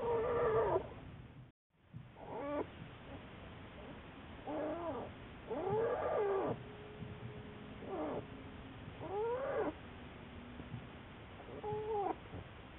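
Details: American black bear recorded on March 1, 2014, giving short harmonic cries that waver up and down, in bursts every one to two seconds, over a faint low steady hum.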